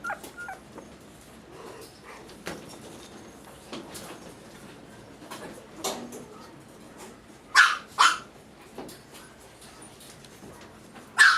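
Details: Male toy poodle puppy at a breeder in the Kanto region around Tokyo, indoors, giving two sharp high barks close together late on and a third at the very end, between quiet stretches of soft rustling and shuffling.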